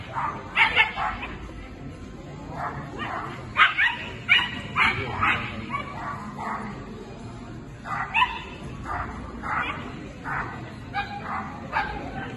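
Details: Scottish Terrier Islay, a female, competing at the Swiss Agility Championships 2022; sharp barks come in short bursts, some doubled, scattered irregularly over about twelve seconds, with faint background murmur throughout.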